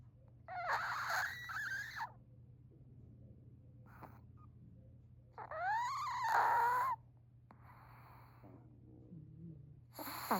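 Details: Chihuahua snoring: noisy, breathy bursts with a thin, rising whistled whine in the middle breath, separated by quiet pauses and a steady low hum.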